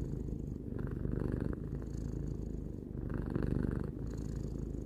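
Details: Purring of a three-year-old house cat, a dense low vibrating rumble that swells and eases with each breath, in and out about every second and a half, quiet room.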